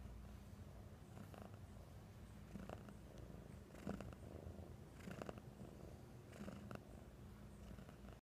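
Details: Home again after days at the vet, pet cat Oswaldo purrs with happiness: a low, throbbing purr rising and falling with each breath, broken by a few soft rustling bursts of movement.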